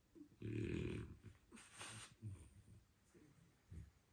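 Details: A French Bulldog in its first minutes after waking up gives deep, throaty grunts and snuffling snorts, with one breathy huff in between.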